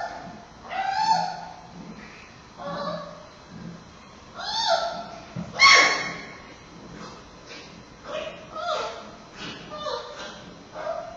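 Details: Giant panda cub Bei Bei fussing during a bumpy nursing bout with his heavily breathing mother Mei Xiang at Smithsonian's National Zoo, October 2015; irregular bursts of bright, quavering squeals and squawks, some rising sharply, with short gaps between.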